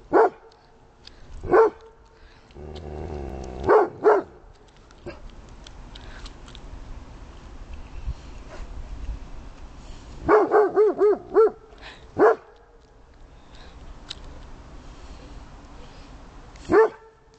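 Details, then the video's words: Domestic dog barking at a snowman: sharp, loud single barks spaced several seconds apart, then a quick run of about five barks, then two more lone barks, roughly ten in all, with a low rumbling noise in between. "Dog Barks at Snowman!"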